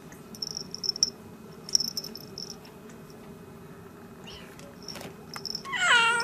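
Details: Newborn kittens born 3 December 2016 to a Siamese mother's first litter; faint high chirps scattered through quiet, then one louder, high rising mew with rich harmonics at the very end.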